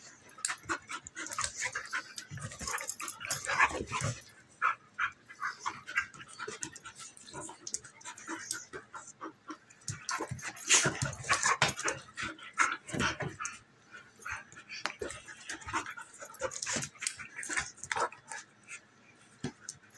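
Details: Two female dogs play fighting, a German Shepherd puppy almost a year old and a half Golden Retriever mix: rough scuffling noises, snorts and breathy growls come in dense bursts, with short yips and brief pauses between rounds.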